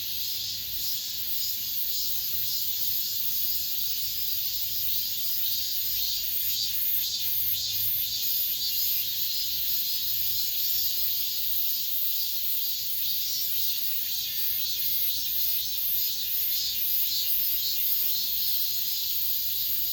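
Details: End-of-summer cicadas in an apartment complex, the season's final song: an unbroken, high, sizzling drone with quick rhythmic throbs running through it and faint low rumbling in the background.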